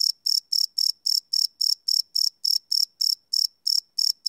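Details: Night-time cricket chirps captured live with a Sony PCM D100 field recorder, a rapid series of sharp, high-pitched buzzy pulses evenly spaced roughly four per second against a silent background.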